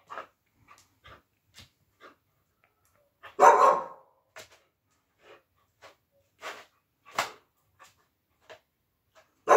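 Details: Siberian Husky indoors playing with her plush puppy toy: a loud burst of barking near the middle, with short soft yips and clicks scattered around it in a quiet small room.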